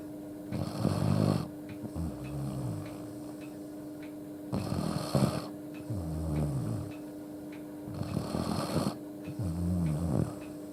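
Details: Sleeping Akita dog Yuuki, whose snoring is loud enough to wake himself and make him change spots, gives heavy rasping snores roughly every four seconds, each followed by a low grunting exhale, over a constant room hum.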